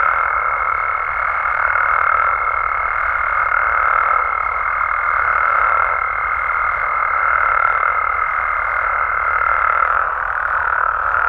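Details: Nighttime chorus of frogs and toads in Mexico, a thick continuous droning wash of overlapping calls; a high steady tone holds for about ten seconds and then stops abruptly.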